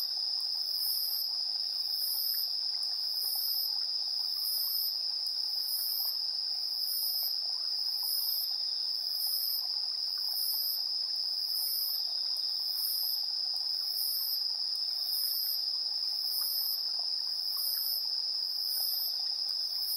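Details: Insects singing in the evening, 7:04 PM on September 3, 2022, recorded on a TASCAM Portacapture X8 in AB stereo: a sustained piercing trill with rapid, very high chirp pulses recurring under a second apart, no other sounds.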